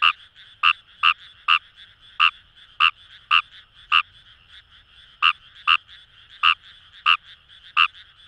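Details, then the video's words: Fejervarya kawamurai calling from Kamo River paddy fields in Itoshima, Fukuoka: crisp croaks at an uneven pace, sometimes in quick pairs, set against a steady hum of distant frogs. "Wild Frog Call | ヌマガエル"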